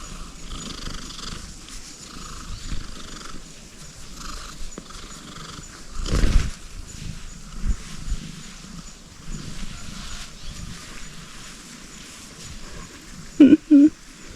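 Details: Tabby cat purring gently while receiving head scratches: a soft, low, continuous rumbling texture with rustling and rubbing noises, a louder brush of sound midway, and two short bright notes near the end.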